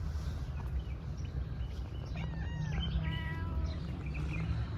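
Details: Stray female cat from a park meows twice in quick succession, a bending tonal cry followed by a flatter harmonic one, above a constant low hum.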